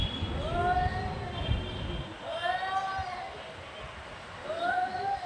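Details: Two cats fighting, drawn-out wavering yowls rising and falling in three long bouts, with rumbling background noise in the first two seconds.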